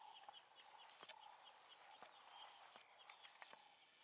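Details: Three cheetahs from the five-strong "Fast Five" coalition, separated by a river in Kenya's Maasai Mara during the rainy season of February 2020, give faint, bird-like chirps while calling and searching for the missing two.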